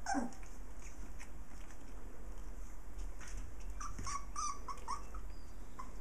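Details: Six playful puppies with their mother dog: a short squeaky yelp at the start, then a quick cluster of high, thin whimpering squeals around the fourth and fifth seconds over a steady indoor hiss and faint scuffling.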